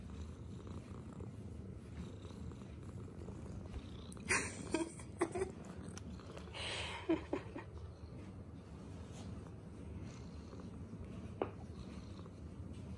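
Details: Tuxedo cat giving love bites, a soft continuous purr underneath, broken by sharper rustling and scuffing bursts around the middle and a single click near the end.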